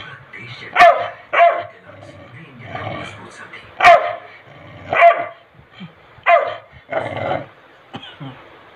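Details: Angry Labrador Retriever barking repeatedly in short harsh bursts, about seven barks over several seconds with low growly sounds between, while a woman speaks in Hindi telling it to go back.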